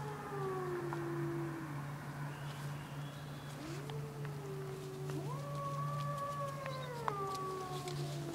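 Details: A car alarm sets off wolves at the bottom of Grouse Mountain: one howl falls and fades, then rising howls swell into long level notes with a higher voice layered above, and a low hum runs throughout.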